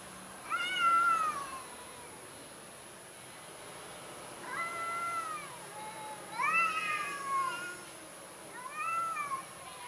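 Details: Timid orange cat repeats plaintive meows about every two to three seconds, four calls in all, each swelling upward then dropping off, the third the loudest and most strained.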